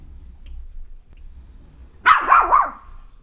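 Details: Fearful Pomeranian prone to frequent barking, heard during training; after a stretch of low background hum comes a sudden burst of high, sharp yaps running together for about half a second.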